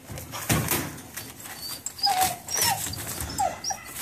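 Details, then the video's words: Buddy, a caged puppy wanting out of his steel cage indoors, gives thin, high, whistled whimpers in short rising and falling bursts, several in a few seconds, over a background of rustling and shuffling. "puppy wants out"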